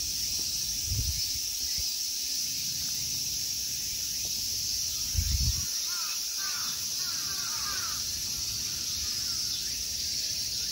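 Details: Continuous high, shimmering buzz of summer insects at the Ikegami Honmonji temple park in Tokyo, Japan, holding level for the whole stretch; two dull low thumps and a few soft, curving bird calls in the middle distance.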